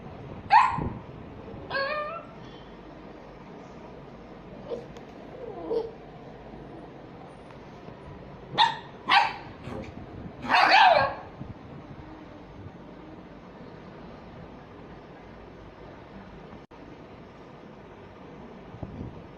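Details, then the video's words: Small dogs at play giving scattered short, high yips and barks, some doubled, with a louder burst around eleven seconds and long quiet gaps between calls. "DOGS BARKING to Make your Dog Bark | small dog barking"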